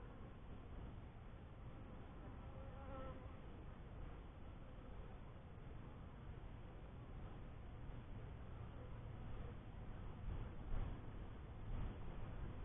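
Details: Honey bees at a newly kept first hive: a low, steady buzzing hum fills the stretch, with faint tonal bands in the middle and a few louder bumps near the end.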